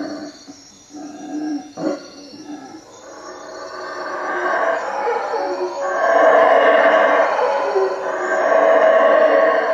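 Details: Howler monkeys at night in treetops above a hut at Lake Peten Itza, Guatemala; quiet grunting and short rasps at first, building after four seconds into a loud, sustained roaring chorus.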